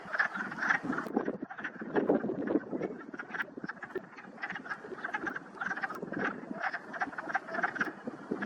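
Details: A spring pond full of wood frogs (Lithobates sylvaticus) in the Whitemud Creek valley on a morning: dense, overlapping clucking croaks like quacking ducks, an unbroken chorus.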